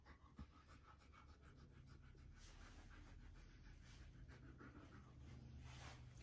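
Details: Husky meeting a puppy for the first time, panting in quick, breathy bursts about three times a second over a steady low hum, with light rustling and handling noise throughout.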